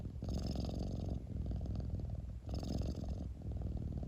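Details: Cat purring at close range, a low continuous rumbling vibration with two breath cycles, each bringing a brief airy hiss about two seconds apart.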